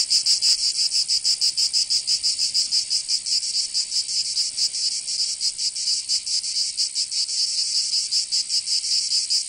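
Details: Summer cicadas in Provence, southern France, fill the air with a dense high buzzing, pulsing in an uneven, overlapping rhythm as several insects sing together, with no other clear sounds.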